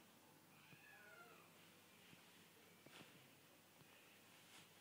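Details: Burmese cat named Curly settling down to sleep indoors, giving a soft, drawn-out meow with a gently falling tone early on, followed by faint rustling and quiet clicks in a hushed room.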